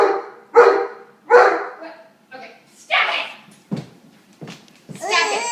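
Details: Pet dog barks at a nine-month-old girl who shrieks back at it: three hoarse barks open, followed by a softer bark, sharp knocks and a high, wavering baby scream at the end.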